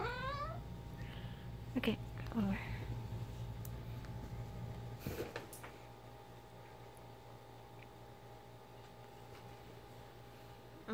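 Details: Ginger the pet cat mumbles during a game of fetch with her favourite toy; a brief rising meow opens, followed by a few short wavering calls, then a person talking and a thump before quiet room hum.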